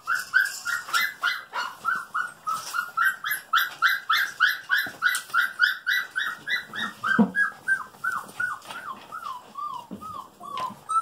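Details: Female Golden Retriever puppies just over five weeks old, two playing together indoors; a long steady series of high, whining whimpers, roughly three or four per second, each bending downward, with a brief woman's voice near the end.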